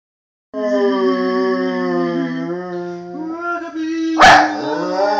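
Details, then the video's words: Miniature schnauzer named Rugzby singing along with his owner: long, steady, held howling tones rich in overtones, the pitch shifting slightly past the midpoint, then a brief noisy burst before the tone resumes, indoors with no other sounds. "singing schnauzer"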